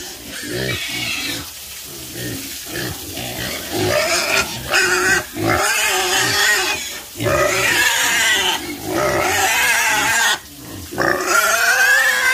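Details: Farm pigs grunting and squealing in rapid, irregular pulses, roughly three per second, harsh noisy calls with harmonic squeals, swelling into long loud stretches broken by short pauses.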